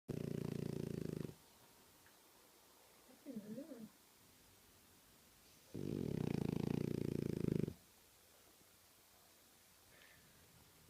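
A French bulldog snores in loud, rumbling, raspy breaths with quiet pauses between.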